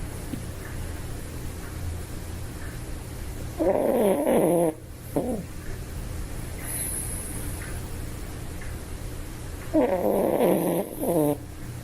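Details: Toy Poodle asleep and snoring: two rasping, buzzy snores about six seconds apart, each with a brief tail, over a faint low hum and quiet breathing.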